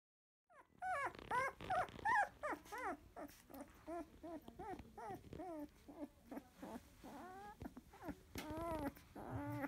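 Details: Sixteen-day-old field-type Labrador Retriever puppy, eyes newly opened, sleeping after nursing, gives a quick run of short, high, arching whimpers, two or three each second, varying in loudness across the whole stretch.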